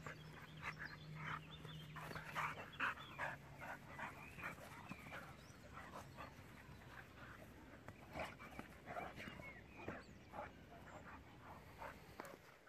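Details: Jack, a six-year-old German boxer dog, playing with a young pitbull; rough, breathy huffs and short whimpering noises come in quick irregular bursts, with a low steady hum underneath early on.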